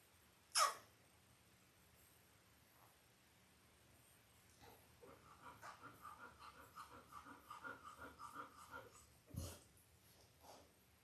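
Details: Labrador Retriever puppies aged five days, Belle's Christmas litter born October 15, 2023: a run of rhythmic, soft, pulsed whimpering grunts over about four seconds, framed by two sharp clicks.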